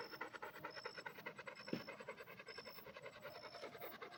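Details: A red Pit Bull breathes hard in fast rhythmic pants, short hissing bursts close together, one sharper click midway, and faint high-pitched tone dashes behind.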